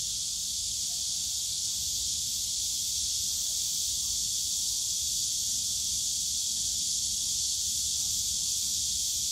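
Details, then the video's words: Loud, constant droning of cicadas in the bamboo forest at Yongsan Family Park on a summer day, a bright high hiss without pauses, backed by quiet low-frequency background noise. "용산가족공원 대나무숲 매미소리"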